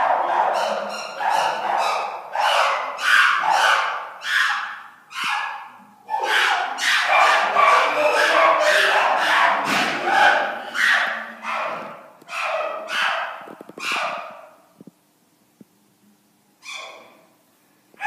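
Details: Chimpanzees calling loudly: a rapid series of rising hoots building into a dense, screaming climax around the middle, then tapering into spaced single cries with short silences near the end.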